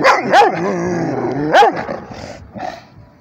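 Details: Rhodesian Ridgeback barking at a tablet, loud rising-falling barks with a drawn-out howling tail between them, fading into quieter rustling at the end.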